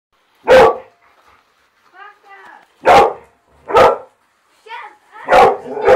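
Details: A dog attacking a car and knocking it off the track: loud, harsh, broadband barks in short single bursts, about five over six seconds with uneven gaps, with faint voices murmuring in the pauses.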